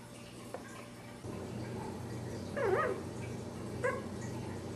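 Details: Newborn Dachshund puppies at ten days old, born July 5th 2009: a short, wobbling squeal near the middle, then a brief chirp toward the end, against a constant low hum.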